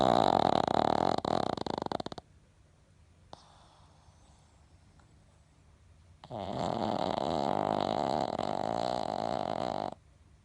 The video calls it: Pekingese snoring loudly いびきがうるさいペキニーズ